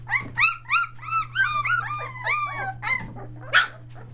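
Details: Young Australian Shepherd pups, a day shy of three weeks, near Mooresville, North Carolina: a quick string of arched, harmonic whimpers roughly every third of a second, fading into softer squeaks and one rough yelp, steady hum behind.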